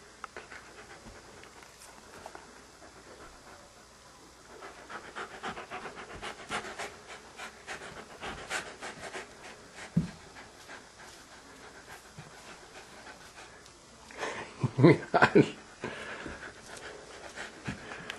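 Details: Sidney, a Standard Poodle indoors at home, afraid to go into the bedroom and fetch his beloved ball on the slippery floor, panting in quick soft breaths about twice a second, with a burst of louder scuffling near the end.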